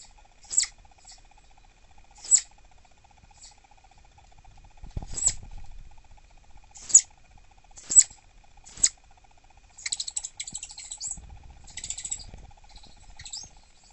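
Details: Dahan, a captive female southern flying squirrel, is annoyed and refusing snacks around six in the evening. She gives sharp, very high-pitched chirps: about seven well-spaced calls, then a rapid burst of chittering near the end, in a quiet room.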